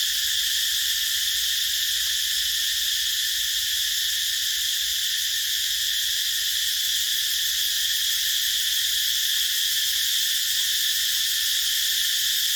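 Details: Continuous high, sizzling drone of cicadas in a rubber plantation, steady and uniform for the whole stretch, with faint low background rumble and occasional tiny clicks.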